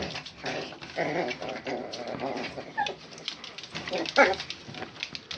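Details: Two 11-week-old Miniature Pinscher puppies, Zselyke Zoé and Zserald, litter of champion parents; brief high, thin whimpering yelps near the third and fourth seconds, over soft human speech and rustling movement.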